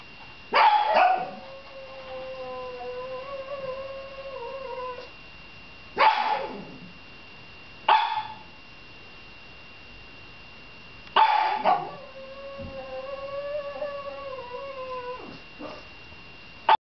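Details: Dog recorded on 21 December 2009 howling in bouts: a sharp onset breaking into a long steady, slightly wavering tonal howl, short yips between, and a second long howl about eleven seconds in.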